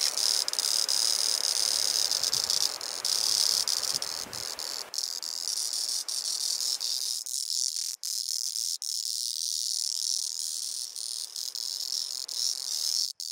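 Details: Male Auritibicen bihamatus singing on Kunashir Island, Kurils: continuous piercing high-pitched rasping drone, steady at first then breaking into a stuttering series of short dropouts, with softer background hiss early on.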